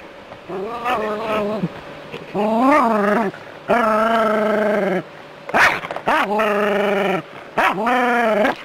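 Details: Jack Russell terrier living in a city, confronting a non-venomous rat snake: drawn-out, wavering, nasal yowls about a second long, each rising and falling in pitch, repeated in bursts separated by short silences.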